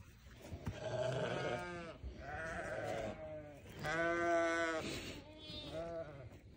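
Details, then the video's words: Newborn lamb giving four long, quavering bleats about a second or more each, rising then falling slightly, with a low rumbling background between calls. "Newborn baby sheep so beautiful"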